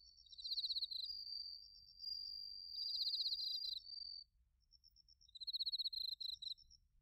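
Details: Autumn chorus of bell crickets and crickets in Narita, Chiba, Japan, captured on a TASCAM Portacapture X8: several callers trading shrill pulsed trills and sustained high tones, falling silent briefly before another rapid pulsing burst.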